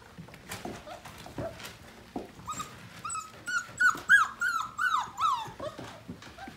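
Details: Morning play among five-week-old Portuguese Water Dog littermates; soft thumps, then a fast string of high, bending whimpers and yips, about three a second, peaking in the middle before fading.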